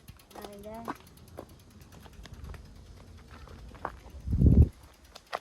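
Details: Community stray cat Mii-chan, whose front paw is hurt, gives a single short rising meow as she heads to her feeder outdoors, followed by quiet shuffling and a loud thump of handling noise.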